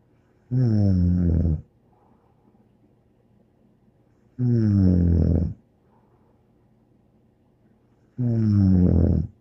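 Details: Bear, a dog, sleeping and snoring steadily: three heavy, buzzing, low snores, each about a second long, spaced roughly four seconds apart, with faint soft breaths in the gaps.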